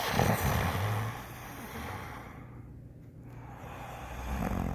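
A Rottweiler snores with low, rough rumbles that swell and fade over a steady background hiss.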